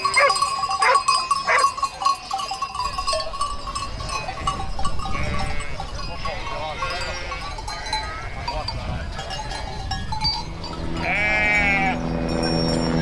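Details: Domestic sheep in a flock with lambs, giving quavering bleats of varied pitch, one long wavering bleat near the end, over a dense background of bell-like ringing and low rumble, with some voices mixed in.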